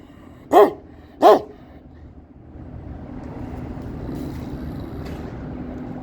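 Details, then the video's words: Two sharp, heavy barks from a Kangal near its territory in quick succession, then a long stretch of low, droning background noise with faint distant sounds. "BU KANGALIN ALANINA YAKLAŞMAK YÜREK İSTER"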